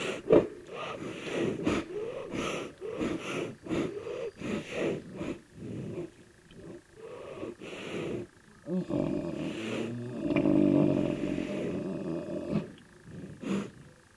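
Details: A black rhinoceros (Diceros bicornis) gives rapid, breathy snorting puffs, then a longer, deep rumbling growl in aggression; black rhinos vocalise most when meeting another of their species.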